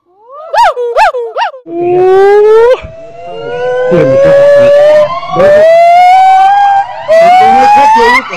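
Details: Agile gibbon (Hylobates agilis), the black-handed gibbon known locally as ungko or wau-wau, an arboreal ape: three sharp up-and-down hoots, then long, loud, rising whooping glides repeated over several seconds.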